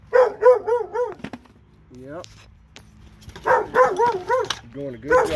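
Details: Two dogs in Alabama let out fast volleys of ringing barks, about four a second, pause with a brief whine, then resume an excited barking run.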